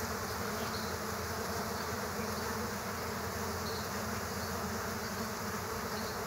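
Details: Several killer hornets fighting bees at an underground bee nest: a dense, unbroken droning buzz of many wings, low and steady throughout, with faint higher whines drifting above it.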